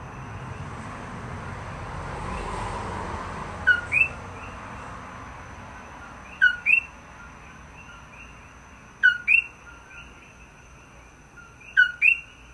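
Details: A coqui frog on Maui, 17 May 2024, calling outside a room. Its two-note 'co-KEE' call, a low note then a rising whistle, repeats every few seconds.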